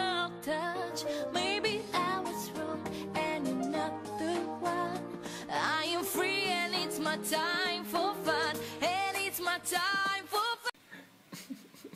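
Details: Upbeat pop song with sung vocals and backing instruments that cuts off abruptly near the end.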